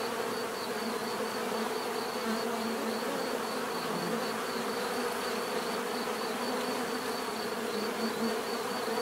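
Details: Natural bee buzzing forms a dense, unbroken hum, layered mid tones with a slight swell near the middle and a faint high steady whine above.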